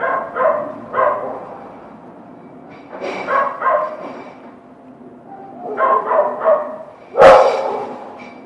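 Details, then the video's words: Dog barking in loose bursts of two or three barks separated by short pauses, ending with one loud sharp bark near the end. "Sounds of dogs barking and howling"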